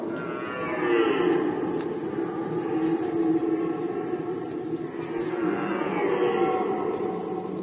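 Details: Rutting red deer recorded in Poland in 2020 give long, grating bellows that swell and fade, two main roars several seconds apart, with a constant rhythmic high chirring behind them.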